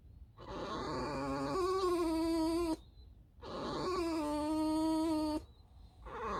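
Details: Squeaking from Alice the pet fox: two long, steady whining calls of over two seconds each, holding a clear pitch that dips slightly near the end, separated by a brief silence.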